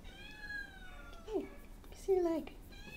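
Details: Three-legged shelter cat needing about a month of foster care, indoors in a small room; several drawn-out meows with bending, falling pitch, separated by pauses, with quiet speech nearby.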